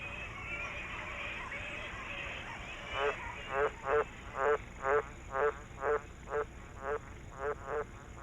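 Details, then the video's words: At the height of the tropical monsoon wet season in northern Australia's flood plains, a green tree frog gives its mating call: a low, harsh croak repeated roughly once a second in a steady series. "the mating call of the green tree frog adds to the cacophony that marks the height of the wet season"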